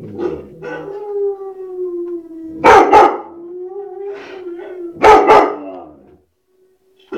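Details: A white shepherd dog alternates drawn-out, level howling tones with two loud, sharp double barks about two and a half seconds apart, the howl resuming between them before silence falls.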